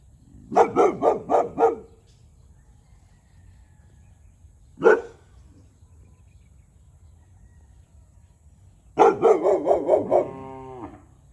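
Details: Territorial Boxer, a one-year-old called Tyrion, barks at the neighbour's cow: a quick burst of five barks, a lone bark after a pause, then another rapid volley trailing into a drawn-out whine.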